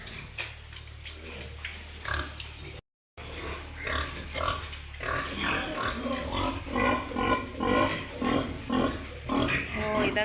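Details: Pigs on a farm in Wayanad, Kerala, a herd with sows that have farrowed, giving irregular low grunts and squeals under loud speech from people walking through the pens.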